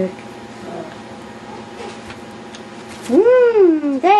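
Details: Yorkshire Terrier puppies playing wildly; after a quiet stretch, one loud drawn-out whine arches up and falls over nearly a second, followed by a shorter rising whine, with faint background rustling.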